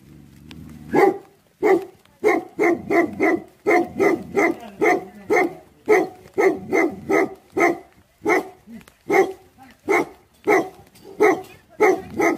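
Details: Bhote Kukur, the Tibetan Mastiff, barking in anger. After a short quiet start, a long chain of loud, deep barks follows in fairly even rhythm, about two per second at the busiest.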